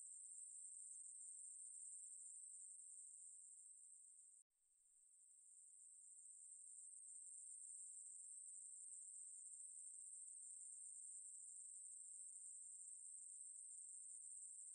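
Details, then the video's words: Ruspolia katydid (매부리) song, National Institute of Biological Resources, 2020: a steady, shrill buzz that cuts out abruptly near four and a half seconds, then swells back to full strength and continues evenly. "매부리, 여러번 듣기, 곤충소리"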